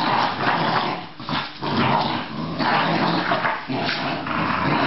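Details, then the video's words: Australian Terrier making a continuous rough growling sound with breathy bursts, pausing briefly around one and a half seconds and again near three and a half seconds. "Australian terrier"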